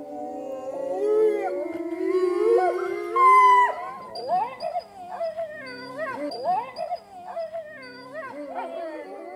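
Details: Czechoslovakian Wolfdog during protection training gives a long, wavering howl that rises in pitch over the first four seconds, then breaks into shorter whining cries, with a man's voice and music faintly behind.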